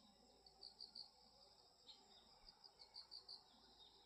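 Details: Grass insects heard as the season changes, giving high, thin chirps in short bursts of three or four quick pulses, separated by gaps of about a second, over a faint background hiss.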